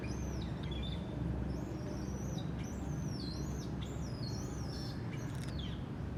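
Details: A baby monkey, said to cry when its mother doesn't care for it, gives high, thin, arched wails repeated rapidly one after another. Finding: Monkey.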